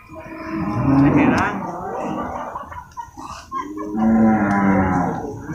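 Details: Water buffalo at the Purwakarta animal market, Indonesia, on Monday 21 November 2022, during loading and unloading of cattle and buffalo: two drawn-out, low harmonic moos, the second steadier, with market murmur between them.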